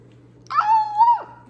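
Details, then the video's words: Pet Basenji dog giving its unusual 'meow' vocalization. A single drawn-out tonal cry of under a second jumps up sharply, holds a steady mid pitch with a slight wavering lift, then bends down at the end, clean against a quiet background. "Basenjis Meowing. My Dogs Rarely Bark, But They Meow Pretty Often."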